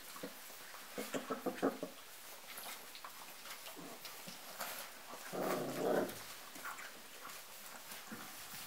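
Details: Four-and-a-half-week-old dark red Golden Retriever puppies eating together, climbing a ramp to their food; a quick series of squeaky whimpers, then one longer nasal whine, over steady clicking and lapping feeding noises.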